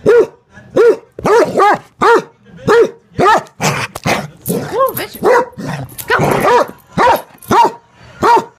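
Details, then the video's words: Bratty basset hound barking over and over, a run of deep, baying barks with a rising-and-falling shape, some doubled, with rougher noisy barks in the middle. "being a bratty basset hound"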